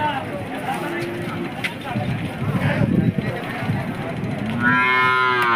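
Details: Hallikar cattle at the KG Temple cattle market in India, held every Monday. Low, drawn-out moos: one early and a louder, harmonic-rich moo at the close, over steady crowd chatter and general market bustle.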